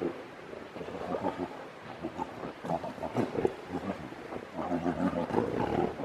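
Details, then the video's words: Grizzly bears in an epic fight, giving rough, rumbling growls and snarls that rise and fall in loud bursts over a noisy, broadband background, with a sharper roar near the middle. "Epic grizzly bear fight!"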